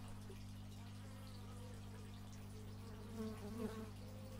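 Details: Bee buzzing captured with an x/y stereo microphone: faint, wobbling hum that swells near the end as the insect approaches, steady low drone underneath.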